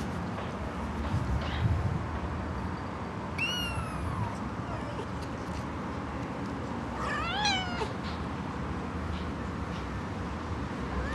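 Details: Half Siamese, half Himalayan kitten giving two high meows, the first a falling wail near four seconds and the second a rising-then-falling cry around seven seconds, over steady low background hum.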